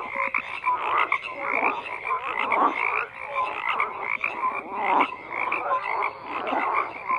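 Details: Many frogs croaking together: grating, pulsed croaks swelling and fading in waves about once a second, with small sharp whistles and chirps cutting through the thick chorus.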